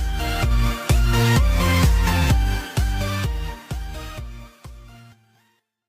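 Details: Electronic dance music with a heavy pulsing beat and bass, fading out to silence after about five seconds.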